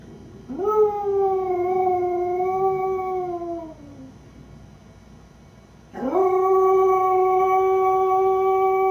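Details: Lucy, a beagle mix alone at home, lets out a rising howl held for about three seconds before sliding down, then after a short silence begins another strong, steady howl.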